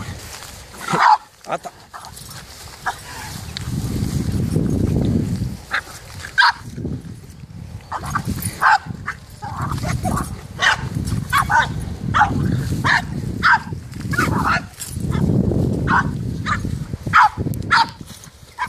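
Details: French Bulldog on the attack against a cow outdoors, barking in rapid, repeated sharp bursts throughout, with heavy low rumbling from movement or wind and some voices mixed in.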